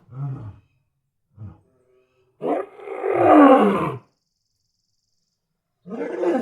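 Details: Lion roaring in its natural habitat: two short, low grunts, then a loud, rough roar of about one and a half seconds, swelling and fading, with another roar starting at the end.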